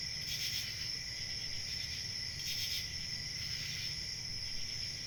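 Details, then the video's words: Cricket chorus recorded as a soothing nature sound for sleep, a continuous shrill high trill with brief louder pulsing bursts near the start and middle, and faint low background rumble. "Crickets chirping"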